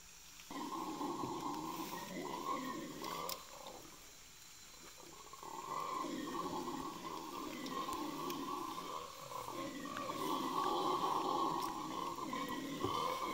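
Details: Red howler monkeys in the Ecuadorian Amazon Basin, Yasuni National Park near Napo Wildlife Center, 21 November 2018; deep, droning roars swell and hold, fading briefly around four seconds before rising again, louder toward the end.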